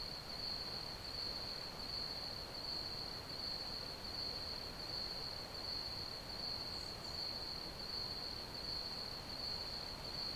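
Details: Steady cricket chirping for sleep ambience: one sustained shrill tone throbbing regularly near eighty times per minute, a faint extra high chirp around seven seconds, all over a uniform hiss.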